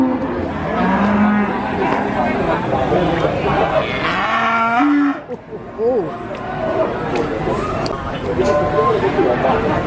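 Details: Calves at a cattle market in Nglangon, Sragen, Central Java, Indonesia, giving several short, mid-pitched moos, the clearest rising and falling near the middle, over constant crowd chatter, speech and background music.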